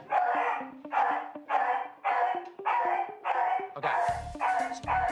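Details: A small shelter Beagle that barks uncontrollably and shrieks whenever people are introduced to him gives a steady run of harsh, high bursts, nearly two each second.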